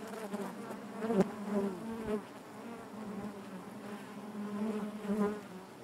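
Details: Natural hive buzzing of honey bees: a dense, even drone with a low fundamental and many overtones, rising and falling softly, with one sharp tap early on.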